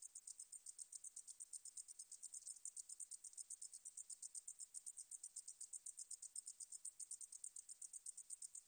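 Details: Katydid song recorded by the National Institute of Biological Resources in Korea, 2020: a steady high, dry buzzing trill of rapid pulses, about four per second, sustained without pause against a silent background.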